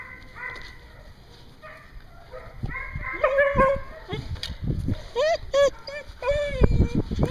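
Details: Dogs kept at a daycare in Hooksett, New Hampshire, recorded 01 02 2016. A quiet start builds into a jumble of sharp yips, upward-sweeping whimpers and brief barks. Clatter and knocks from the room sound underneath.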